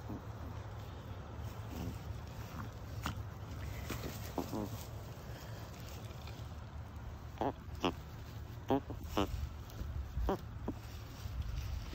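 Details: Happy, content Chihuahuas relaxing in the shade on an afternoon give a run of short, snorty, pig-like grunts, clustered in quick bursts toward the end, over a steady low rumble.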